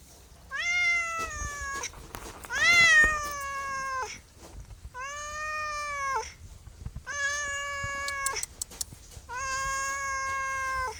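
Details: Domestic cat giving five drawn-out, harmonic meows, each about one and a half seconds long, sliding slightly downward at the end, with short quiet gaps between them.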